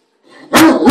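A Great Dane gives a deep, loud bark after a soft lead-in.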